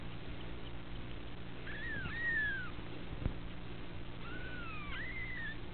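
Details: Two drawn-out, wavering meows from the girls of a kitten litter at the Felis Anatolia Cattery, each dipping then sweeping upward before falling away, a brief soft knock between them, low hum underneath.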